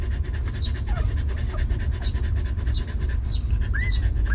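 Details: Stray dog mother with her young puppies in a rough place, now given shelter: fast regular breathy panting, a faint squeak around the middle and two brief upward-sweeping whines at the end, low rumble underneath.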